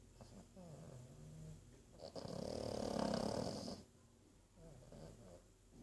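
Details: Archie the pug asleep and snoring: soft low rumbling breaths, then one long, harsh, buzzy snore of almost two seconds with a whistling hiss on top, fading back to quiet breathing.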